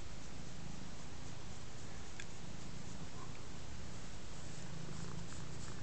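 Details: Contented large black domestic cat purring while lying on a rug and being scratched; steady low rumbling purr throughout, continuous and even, with faint scratching ticks above.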